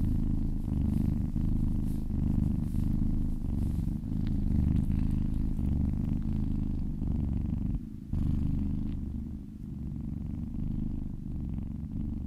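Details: A kitten being massaged purrs steadily as it licks its way down its owner's arm. The low, rhythmic rumble continues throughout, with a short break around eight seconds.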